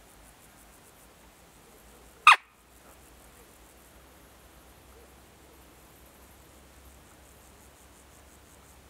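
A roe deer gives a single short, harsh bark against a quiet background.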